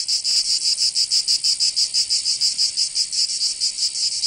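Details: Summer cicada chorus from Provence in the south of France, a strident high buzz rising and falling in steady pulses, roughly five beats per second, continuous and unaccompanied.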